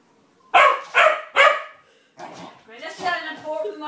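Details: Murphy, a four-month-old English Springer Spaniel puppy up to his usual mischief, gives three sharp, quick barks about half a second apart, followed by a person's voice talking.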